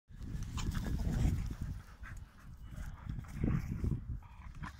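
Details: Pit Bulls play fighting, low rumbling growls and scuffling in continuous bursts, louder around one and three and a half seconds, with occasional higher snorts above the low grumble.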